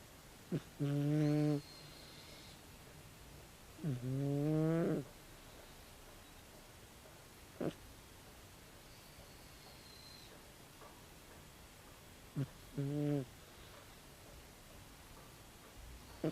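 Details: Sleeping 16-year-old calico cat named Tabi, snoring loudly. Low, droning, harmonic snores roughly a second long come irregularly, some bending in pitch, separated by quiet stretches with occasional small clicks and a faint high whistle.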